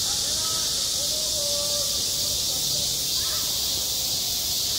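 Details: Summer cicada chorus over a school playground, a continuous shrill hissing drone without pause, while faint far-off voices rise and fall below it.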